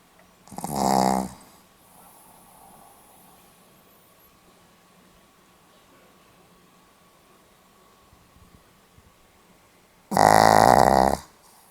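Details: Sleeping Pomeranian, recorded 8 November 2015, gives two loud, buzzy snores about nine seconds apart, each lasting under a second, with quiet breathing and a faint steady hum in between.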